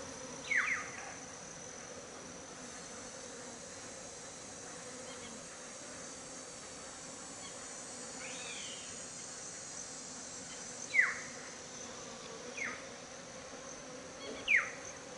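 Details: African honey bees foraging frenziedly on Artemisia pollen at Ngaresero, 27 December 2016: a steady low hum of many wings under a hiss, with a few brief, sharp chirps from other animals scattered through.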